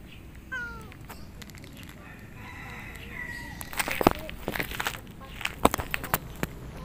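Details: Lonely and hungry cat letting out a loud bending meow and a fainter one, followed by clattering and knocking noises with voices in the background.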